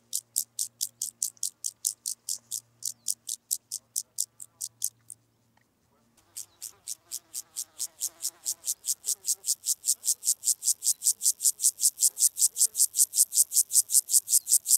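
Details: Club-legged grasshopper at Leogang, Austria, on 5 September 2023: a long train of high, dry rasping pulses, about two and a half per second, briefly halting near the middle, then resuming and growing steadily louder; faint low hum early on.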